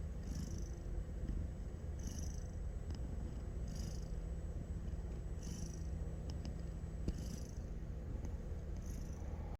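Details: Snoring from a cat fast asleep: a continuous low, purr-like drone, with gentle airy breaths recurring about every two seconds; a faint steady high whine sits in the background.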